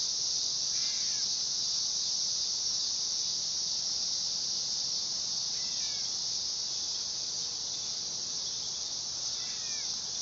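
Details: Dog-day cicada (Neotibicen canicularis) giving a steady, loud, shrill buzzing drone that holds without a break throughout, with three brief, faint, sliding bird chirps heard in the background.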